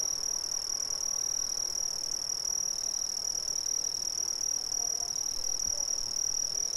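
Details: Brazilian crickets chirp in a steady, high-pitched chorus that runs unbroken throughout.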